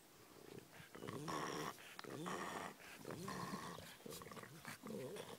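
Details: Pet dogs, filmed among sand dunes, growl and vocalise in low, rough bursts with harmonic whines, several overlapping pulses over about five seconds, in a close, quiet setting.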